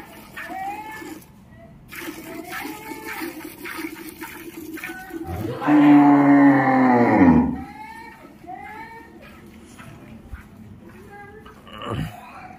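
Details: Cow mooing while being milked, udders washed beforehand: one low, sustained moo of nearly two seconds mid-recording, surrounded by Hindi speech and faint splashing water.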